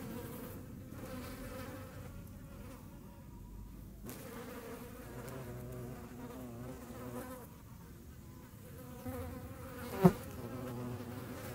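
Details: Hornet chasing flies in the Eifel, Germany: a low droning buzz of beating wings with shifting pitch throughout, plus a sharp click near the tenth second.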